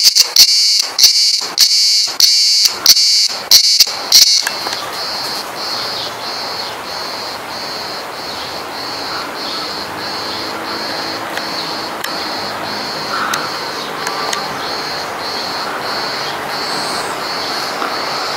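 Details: At Pigeon Island (Güvercin Ada), Kuşadası, a cicada's shrill, high buzzing drone rings steadily, with a faint pulsing throb running through it.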